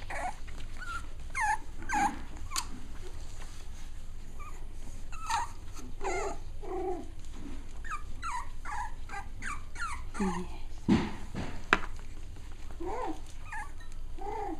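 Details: Six-week-old Cavalier King Charles Spaniel puppies at playtime give many short yips, whines and squeaky whimpers, some rising and falling, in quick irregular bursts over low background rumble, with a few soft thumps.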